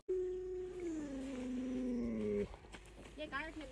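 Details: Pet Alaskan Malamute howling: a loud, sustained tone rich in overtones that starts level, then drops and slides lower for about two and a half seconds, followed by human speech and a short rising vocal sound.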